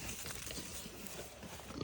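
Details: Small pot-bellied pigs at a sanctuary give low, rough grunts in quick, uneven bursts while being asked to sit, with a person's voice nearby.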